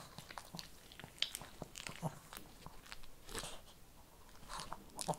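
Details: Shih Tzu eating kibble, a run of sharp crunching bites and irregular clicks, some louder cracks near the start and end, with a quiet background.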